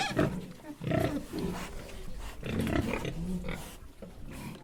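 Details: Harsh, continuous pig vocalizing: rough, nasal grunts blend into squeal-like bursts with barely a gap between them.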